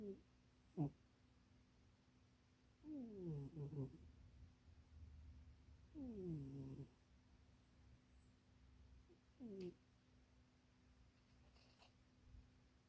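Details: Munchie, a pet cat napping and dreaming inside a box too small for it, snores softly indoors. Quiet, wavering, descending tonal snores come at irregular intervals, roughly every three seconds, with a faint room hum underneath.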